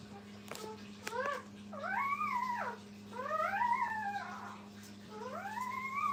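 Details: Brittany puppies with their mother at a kennel give drawn-out arched whines, each rising then falling, four across six seconds, with a couple of short clicks and a steady low hum behind.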